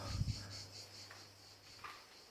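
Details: Cicadas buzz in a steady, high, slightly pulsing drone outside a holiday villa, with a low hum and brief voice sounds.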